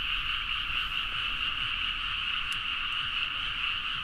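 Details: Late-night frog chorus from paddy fields in Nagaoka, Niigata, Japan, Zoom H4n recording; continuous massed croaking blends into a constant buzzing band, with a couple of brief sharp clicks near the middle.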